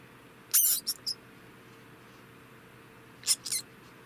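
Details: A male degu, estimated three years old, gives two short bursts of high, squeaky chirps, each a loud note followed by two or three quicker peeps, about three seconds apart, in a quiet room with a faint steady hum.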